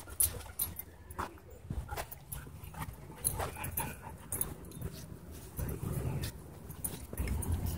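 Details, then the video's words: Dogs at play in a dog park: rough scuffling bursts with short whimpers and yips scattered through the clip, over steady low outdoor rumble and occasional human voices. "Dog Park Battle Zone"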